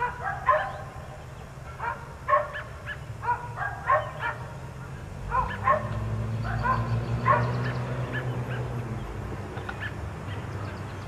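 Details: Barking from a group of four dogs left outside all day: quick single and double barks in irregular bursts, joined midway by a low rumbling engine-like drone that fades near the end.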